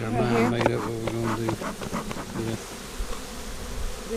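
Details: Honey bees at an April 15, 2017 inspection of a split whose queen went into a five-frame nuc with nurse bees. A steady, low droning buzz holds for about a second and a half, then fainter buzzes follow.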